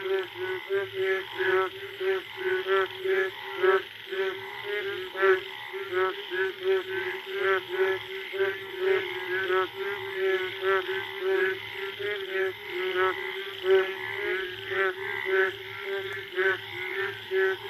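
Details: Chorus of Indian forest frogs late at night following the first rain, calling to mate; many overlapping pulsed croaks in quick bursts over a constant droning frog background, echoing through the jungle.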